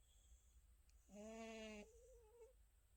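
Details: Sleeping, dreaming pet cat Tabbsy snores once indoors: a single buzzy, harmonic breath lasting under a second, followed by a soft wavering whistle as the air fades, against quiet room hum.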